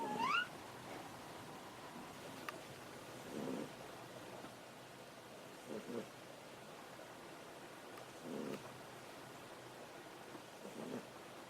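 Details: Pet cat Ameta dozing on a desk; a brief rising squeaky chirp opens, then four soft, muffled snores follow at intervals of about two and a half seconds in a quiet room.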